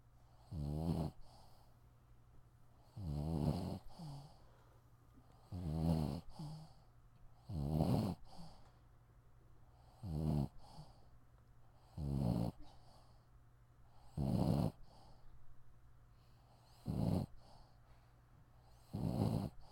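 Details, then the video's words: A dog asleep indoors snores steadily: nine deep, raspy inhalations, one roughly every two to two and a half seconds, each a rough, rumbling snort lasting under a second, with quiet breathing between them. "Cute snoring dog"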